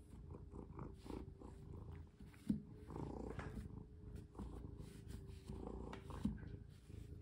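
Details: Pet cat purring while being played with and having a collar put on. A steady low rumble runs throughout, broken by two sharp taps and some soft fabric rustling.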